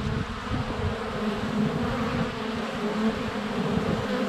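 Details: Dense swarm of honey bees in flight at the hive entrance on a sunny February day, captured with a GoPro a foot away; steady, thick, low humming buzz with overlapping wingbeat drones throughout.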